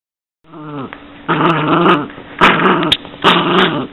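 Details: Yorkshire Terrier growling indoors: after a quiet start, a low rumbling growl rises into three rough, buzzy bursts, each about half a second to a second long, separated by brief pauses with faint clicks.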